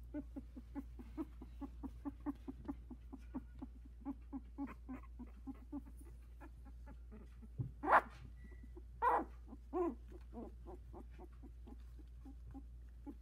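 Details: Sixteen-day-old Havanese puppies, a litter of four, walking and vocalising in their whelping box; quick faint squeaks about once a second, then a few louder whining cries near the middle, constant low background hum.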